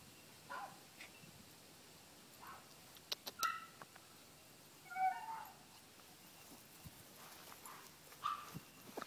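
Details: Chihuahua puppy playing outdoors gives a few quiet, high, tonal whines and short squeaky yelps. They come at irregular gaps over several seconds against a soft, steady outdoor background.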